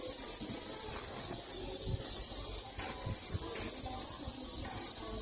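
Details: Male cicadas give a steady, shrill, high-pitched buzz that holds without a break.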